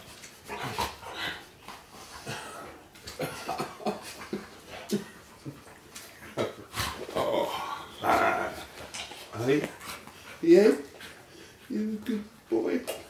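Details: Two Golden Retrievers playing in a house in Hampstead, a 14-year-old and a nearly 2-year-old puppy, give short yips and rising whines amid a person's chatter.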